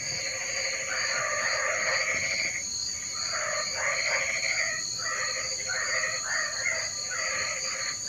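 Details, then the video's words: Several frogs croak during rain in clustered, stuttering bursts of rough calls, loudest near the start, layered over an unchanging piercing drone and a gently beating higher tone. "Suara Kodok Hujan"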